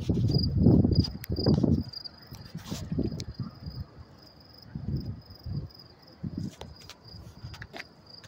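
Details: High, regular cricket chirps on a New York City night, May 28, 2024, near 10:30 p.m., pulsing steadily while loud low thuds and rumbling city sounds dominate the first seconds, then fade.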